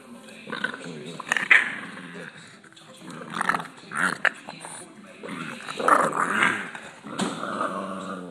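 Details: Boston Terrier kept as a pet, annoyed when touched during rest, produces guttural grumbling growls in uneven bursts, mixed with a person talking and some handling noise.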